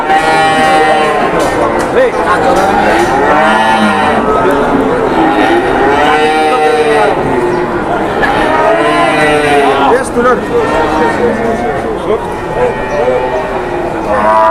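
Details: Cattle at a cattle market, many animals mooing over and over in long, wavering, rising-and-falling lows, one after another across the whole stretch, over a constant murmur of traders' voices.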